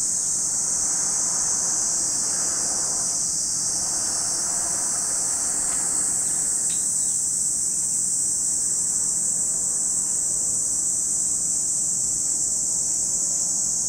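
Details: Cicadas at Lake Kamo in Sado City, Niigata Prefecture, Japan: a dense, unbroken high-pitched shrill drone that holds steady for the whole stretch, with a faint low rumble in the first few seconds.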